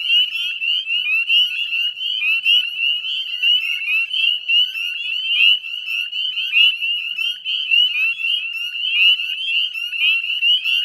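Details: Dusk chorus of northern spring peepers from the Chezzetcook salt marsh, West Chezzetcook, Nova Scotia, Canada, recorded 18 May 2020 around 9 p.m.; countless short, high upslurred peeps pile together into an unbroken piercing trill.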